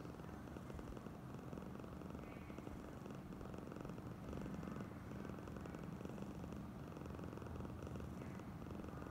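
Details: Oyen, a female pet cat in an especially affectionate, clingy mood, purring steadily: a low, continuous pulsing rumble held for the whole stretch with only faint background hiss.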